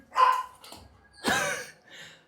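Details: Domestic dog called Sam, coaxed into a bath at home: two sharp, ringing yelping barks about a second apart in a small indoor room, then a fainter third sound.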